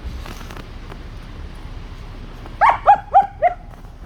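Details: After a few quiet seconds, a German Shepherd puppy called Sangi, at play with sticks, lets out four clear, evenly spaced high-pitched yaps in under a second.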